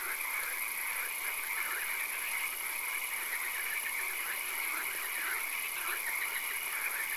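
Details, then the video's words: Night swamp chorus of frogs, with many croaking voices layered and repeating continuously at mid pitch, backed by a constant high-pitched hiss. "Frog Calls"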